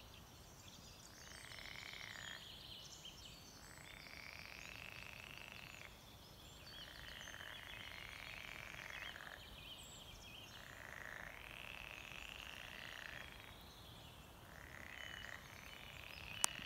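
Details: Frogs croaking in a small forest fen with a plank boardwalk near Beetsterzwaag; a steady chorus of dense, rasping croak bursts swells and fades every few seconds over soft background hiss.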